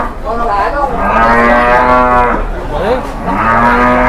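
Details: At a market on its first visit, a startled, agitated cow gives a loud drawn-out bellow, a brief break, then a second rising moo, with a man's voice faintly behind.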